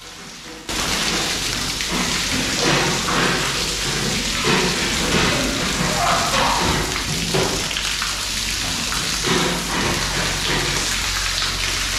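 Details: Steady heavy rain drumming on a surface, with a low rumble of thunder and faint voices beneath; no animal calls stand out.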